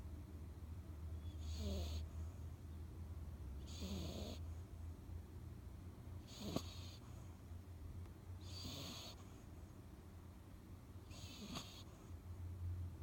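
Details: Three-month-old female Chihuahua/Jack Russell cross puppy snoring while asleep, a breathy rasping inhale roughly every two and a half seconds over a steady low hum.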